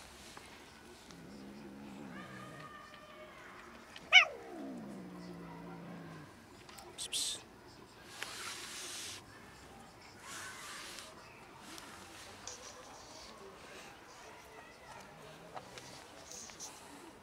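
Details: Cats and kittens outdoors as a pregnant dog almost raids them; a cat gives drawn-out, harmonic meows, one falling sharply in pitch around the fourth second, followed by rustling, scuffling bursts and a quiet background.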